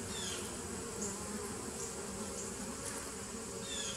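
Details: Constant humming of bees in a 2017 nuc, 27 September 2018, with faint high chirps from birds in the distance over the drone.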